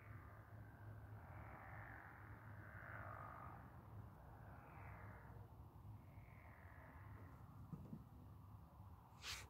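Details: Many frogs or toads calling together beside moonlit water, their buzzy trills swelling and fading in waves every couple of seconds over a constant deep drone, with a sharp knock at the close.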